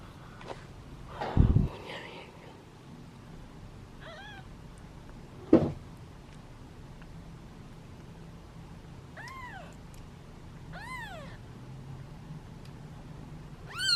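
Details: Kittens waiting in a basket at feeding time give impatient hungry meows: a soft mew early, then three rising-falling calls in the last five seconds, with loud handling thumps and rustling between.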